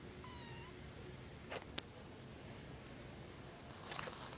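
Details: Young domestic cat giving one short high meow with a faint harmonic stack, followed by a sharp click and quiet room noise.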